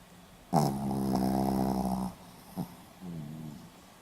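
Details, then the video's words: Pomeranian dog snoring indoors, recorded 4 November 2015 in Hiroshima: one long harmonic rasping snore of about one and a half seconds, then a short snort and a softer, quieter breath. "ポメラニアン 犬のいびき"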